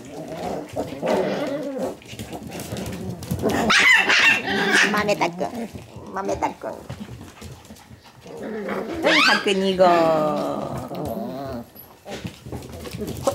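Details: Several Shiba Inu puppies in a play-fight, producing low rumbling growls punctuated by higher whining yelps in two main bursts, with people talking in the background.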